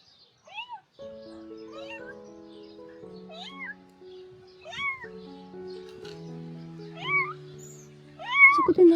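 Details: A lone stray female kitten, hidden in rubble with no mother or siblings nearby, meows without stopping one morning. About seven thin, high meows rise then fall, spaced roughly a second apart over soft background music.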